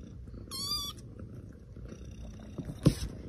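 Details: A kitten gives one brief, high, tonal meow early on, followed by soft background rustling and a sharp knock near the end.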